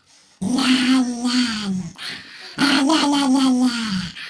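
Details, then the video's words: Domestic dog making its funny 'rawr' noise indoors: two drawn-out, voiced, moaning calls of about one and a half seconds each, level at first and then sliding downward, separated by a brief pause. "Dog's Funny Sound || Rawr or a dog"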